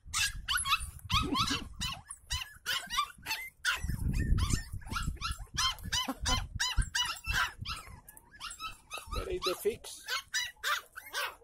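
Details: West Highland White Terrier giving continuous excited high-pitched yapping barks in quick succession, with a few deeper growly bursts and some human speech mixed in.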